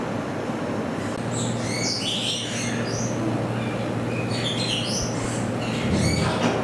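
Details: Degus kept at Saitama Children's Zoo in Japan, recorded 15 September 2020; bursts of quick, high-pitched twittering chirps come in two bunches, set against constant hiss and a low, steady mechanical hum.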